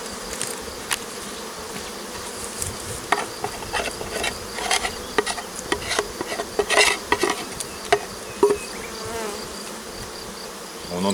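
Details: Honey bees from a well-populated hive handled by a beekeeper in France, climbing back up into the hive: a steady dense buzzing hum throughout, broken by sharp clicks and knocks of hive equipment being moved.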